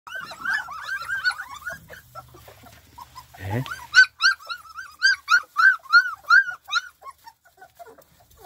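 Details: Spanish Mastiff on a farm, recorded 1 May 2020: a rapid run of high, wavering whimpers, about three per second, a brief pause, then a louder series of rising-and-falling whines.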